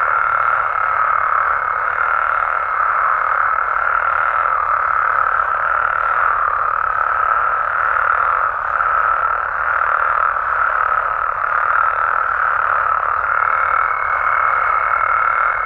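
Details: Nighttime amphibian chorus from Mexico, frogs and toads calling in great numbers, a continuous mid-pitched drone pulsing softly at regular short intervals, a faint steady higher tone at the start and end.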